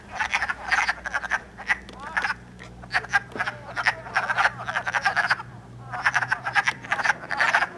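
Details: In Elmer, New Jersey, on 3 March 2012, early in the season, a chorus of calling and mating wood frogs gives rapid, hoarse, duck-like clucking calls in overlapping bursts.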